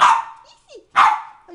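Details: Bulldog named Dalila giving two loud, harsh barks about a second apart, each a short burst that quickly fades, with a soft, faint whine-like sound between them and a quiet trailing note at the end.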